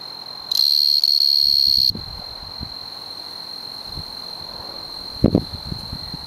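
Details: A male tree cricket, Oecanthus sp. (probably O. quadripunctatus), sings a steady, high, pure, unbroken trill in the Oldman River valley, Lethbridge, Alberta.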